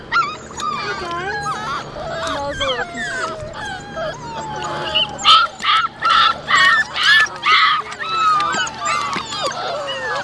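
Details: Labrador Retriever puppies cooling off in water on a hot day; a busy mix of high, wavering whines and short yelps, with a run of evenly spaced loud yips midway, while people talk over them.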